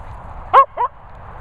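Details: Cocker Spaniels Finlay, Murphy and Willow, three dogs: a sharp high yelping bark, then a second shorter yip, over a low background hum.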